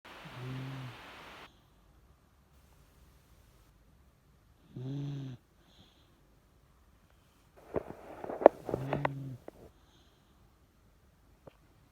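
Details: Aging Miniature Dachshund asleep indoors, snoring in three low rumbling bursts spaced a few seconds apart, with faint rustling and clicks between them in a quiet room.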